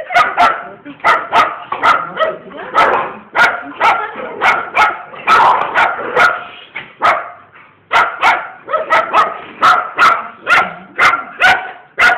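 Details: Pet bull terriers, more than one dog, barking in a rapid, uneven run of sharp, mid-pitched, ringing barks and yips, roughly two per second, with brief gaps near seven seconds and little other sound.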